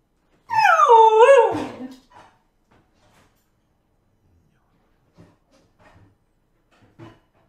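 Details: Indoor blue whippet, a male dog, whining to beg for food and long walks; one loud, wavering, high-pitched whine dips and rises before falling away, followed by a few faint scuffs and small sounds.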